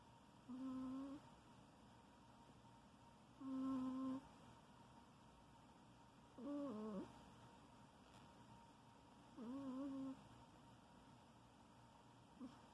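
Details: Sleeping house cat snores in a small room, giving four steady, nasal whistling tones about every three seconds, each lasting roughly half a second. One dips in pitch at its end. Faint background hum.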